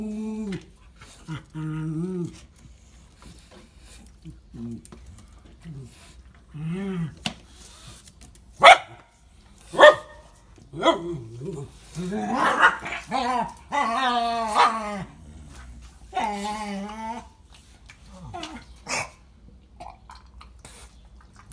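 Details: Bulldog Birillo at play with Zora, a small mixed-breed female, indoors: short tonal growls and grumbles, sharp barks, then a dense burst of growling around the middle, with a woman urging the dog to fetch the toy.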